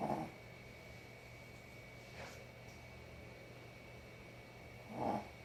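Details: Snoring from a sleeping dog: a raspy snore at the start, a faint breath midway, and another hoarse snore near the end, over a steady low hum.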